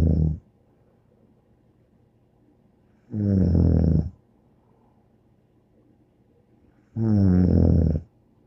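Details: Deep, throaty snoring from Bear the dog in a quiet room. Long, rough inhaled rumbles recur about every four seconds, separated by near silence.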